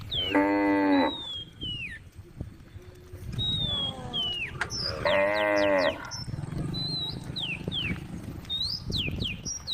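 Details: Several tame cows calling on a road: two loud, harmonic moos, each about a second long, separated by a few seconds, with bird chirps and whistles in the background and faint low rumbling.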